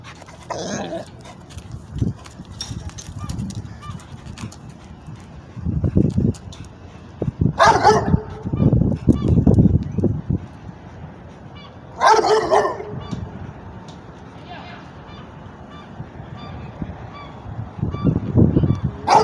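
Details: American Bulldog/Pit Bull mix trying to get at a cat: two loud, harsh barks about four and a half seconds apart, with lower huffing, thumping bursts and scuffling between them.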